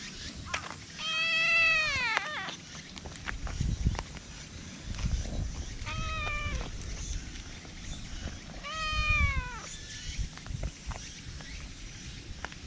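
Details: Affectionate, people-friendly black cat in a public park, filmed on a GoPro, gives three meows, each starting high and sliding downward, the middle one shorter and softer, with muffled rustling and low outdoor rumble between them.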